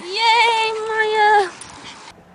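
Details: Puppy on a slide lets out one long, steady, high whine of about a second and a half, holding its pitch before stopping abruptly.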